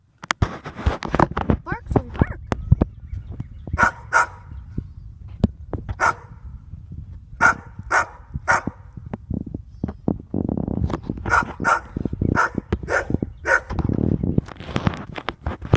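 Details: Small dog barks at a cat in short, clipped yaps, two loose runs of about five or six barks each, spaced roughly half a second apart, over steady low rumble and occasional human voice.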